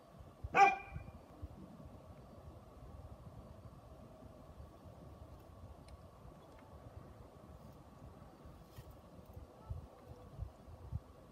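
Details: A Great Pyrenees gives a single deep, loud bark, then falls quiet, with Great Pyrenees puppies nearby.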